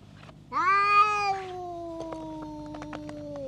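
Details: Stray bully cat snapping at the cats around it, letting out a strained rising howl that eases into a long, slowly falling drawn-out moan, with light tapping sounds in the background.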